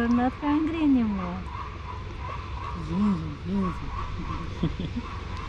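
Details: Fluffy male stray cat in Istanbul, hungry and wanting food, gives one long drawn-out rising-and-falling meow followed by two shorter softer ones, with a person speaking nearby and a steady low hum.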